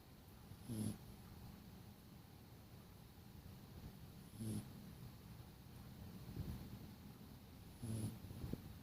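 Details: A dog asleep and snoring, three short low snorts spaced roughly three and a half seconds apart, each carrying a thin high hiss, over quiet room noise.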